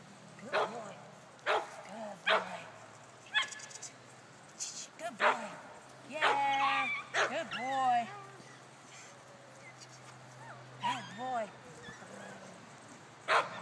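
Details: Male puppy, ten weeks old, patched coat: a run of short high yips mixed with drawn-out, wavering whines, some stretched into nasal cries, with brief quiet gaps between bursts.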